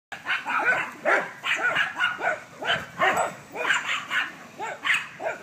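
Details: Dogs playing in a backyard, barking in a rapid steady series of short harsh yelps, roughly two per second through the whole stretch, with rising-falling arched tones, several overlapping voices.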